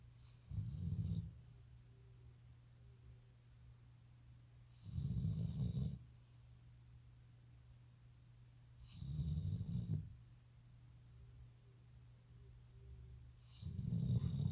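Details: Golden Retriever dog sleeping and snoring: low rumbling snores roughly every four seconds, each about a second long, with quiet breathing between them and a steady low hum in the background.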